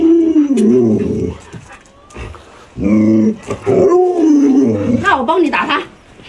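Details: Alaskan Malamute dog playing hide and seek with its owner. It gives drawn-out, wavering whines and talking-like vocal sounds that rise and fall, broken by short pauses, while a person speaks alongside.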